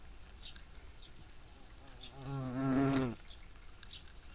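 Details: European hornet in flight: a low, droning wingbeat buzz rich in overtones lasting about a second, swelling then cutting off as it passes, amid quiet outdoor background with faint ticks.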